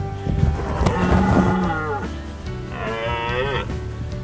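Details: A male red deer (Cervus elaphus) bellows during the autumn breeding season in the Romagna Apennines, Italy, an area with many roaring males. He gives two long, deep, harmonic-rich roars with a rough, moaning tone.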